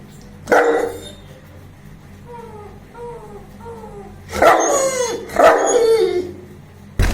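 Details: A 21-month-old Saint Bernard barking and making noise while playing: a loud deep bark, then a run of short high whining yelps with falling pitch, two more hoarse barks, and a final bark cut off at the end.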